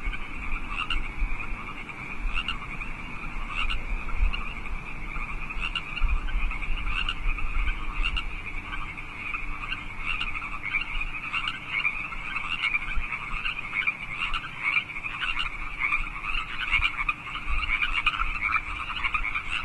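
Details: Night chorus of wild frogs in California Park, 8 PM, March 15, 2014: sustained overlapping croaks and trills with distinct rhythmic pulsed calls recurring about every second, faint low background noise throughout.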